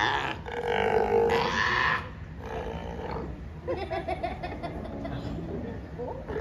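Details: Sea lions at the Vancouver Aquarium: a loud, harsh, drawn-out roaring call in the first two seconds, then a shorter one, followed by a steady murmur of visitor chatter in the background.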